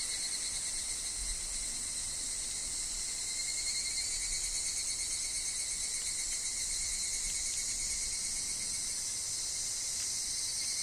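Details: A forest chorus of higurashi cicadas, wind and falling leaves around: sustained, piercing high-pitched buzzing in layered bands over a narrow steady whine, unbroken and even in loudness throughout.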